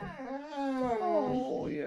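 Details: Indoors near Landskrona, Sweden, the male Boxer Rex whines for his out-of-reach squeaky toy. One drawn-out, tonal moan bends slowly downward and then wavers higher toward the end, steady in loudness and with no pauses.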